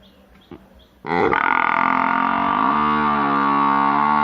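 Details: Cow giving one long, sustained, droning moo that starts suddenly after a second of quiet background noise and holds steady and loud for over three seconds, deepening slightly partway through.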